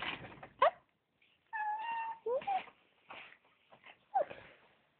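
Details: Hungry female riding-school cat meowing indoors: several short rising and falling meows, one longer drawn-out steady meow, spaced through the recording between brief silences, with a person speaking softly nearby.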